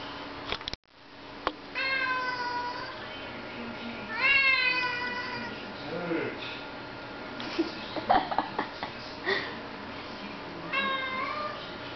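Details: Domestic cat meowing repeatedly to be let outside while it rains: several drawn-out harmonic meows, with brief low human voice and handling noises in between.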